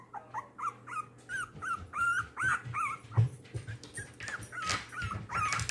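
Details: Tiny foster puppy Little Bean, three weeks old and one pound, complains at being placed back in his pen after a feed. He gives insistent, looping high yelps in quick succession, growing louder, with some knocking.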